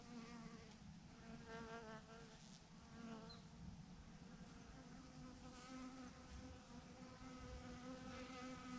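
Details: Honey bee swarm, thousands of insects hanging together on a branch, producing a constant buzzing drone with wavering pitch as individual bees fly close, over faint background hiss.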